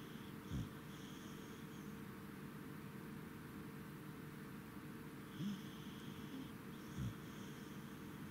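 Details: Tired after a trip to Lake Yamanaka, the Corgi Goro snores at night, 10 November 2017: brief, deep snorting breaths, one near the start and two close together later, against a quiet background hum.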